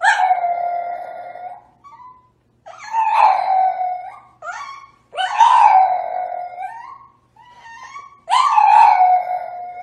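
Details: French Bulldog making long mournful howls with quivering pitch, broken by brief soft whimpers between the louder cries, about six in all.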